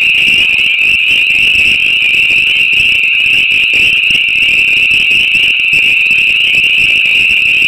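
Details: Hundreds of spring peepers call together on an April night in northwestern Massachusetts, their high, piercing peeps blending into a steady, shimmering, unbroken wall of sound.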